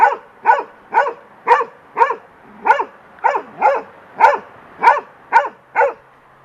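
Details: Young golden retriever on a deck attacking, and scared of, a large bird's feather blowing in the wind: a run of short, sharp barks about twice per second, steady and evenly spaced, with a person urging her on.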